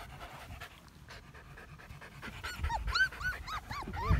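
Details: Month-old medium poodle puppies: after a quiet start with a faint voice nearby, a cluster of short, high, bent whines rings out, repeated several times a second toward the end.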